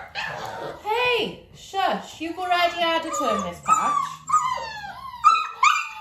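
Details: Dalmatian litter nearly six weeks old being clicker trained with their mother Arya: long drawn-out whines that swoop downward and then level off, mixed with a person's talking in a small room.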